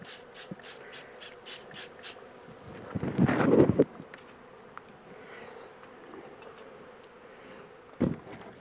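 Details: Honey bee swarm shifted from a small box into a bigger hive; steady hum of many bees beneath a burst of scraping and rustling handling noise, then a single loud knock.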